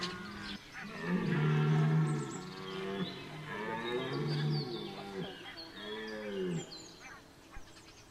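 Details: Red deer stag in the rut at Chambord, Loir-et-Cher, France, roaring repeatedly: a long deep bellow, a second drawn-out groan, then a shorter arched roar, each harsh and heavily harmonic, with faint bird calls in the background.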